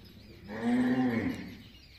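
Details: Cow at a gaushala in Majari, Jhunjhunu, giving a single short, steady moo lasting under a second. The tone is level and full, then trails off, with faint background hum.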